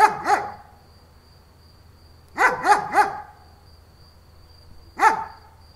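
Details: Deep barks from a German Shepherd: a pair, then a quick run of three, then a single bark, against a faint steady hum.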